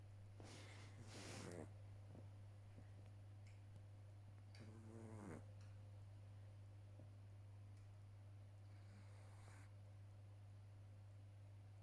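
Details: A sleeping 12-week-old Boston Terrier puppy snores softly, with breathy snorts and a brief nasal rattle.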